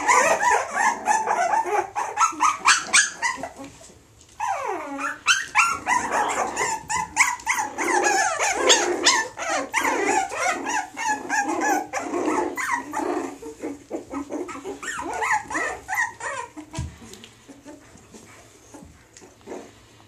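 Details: Springer Spaniel and Jack Russell cross, offspring of a female Springer Spaniel and a male Jack Russell, giving a rapid, irregular stream of sharp yelps and barks with a few growly, whining notes, about three per second, nearly continuous for twenty seconds.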